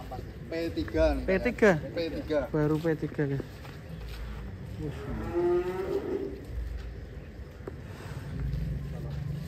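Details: Giant bull named Ken Arok Bimasakti, a fattened show animal in Indonesia readied for a DKI cattle contest, gives a series of wavering, harmonic moos over several seconds, then a second, steadier drawn-out bellow, with background noise.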